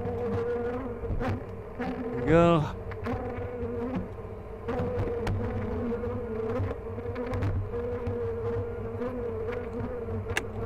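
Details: Hive of honey bees checked at The Mountain, 22/6/29, queen observed among plentiful brood; even, buzzing drone throughout, a short rising-falling whine near the start, and light tapping from hive handling.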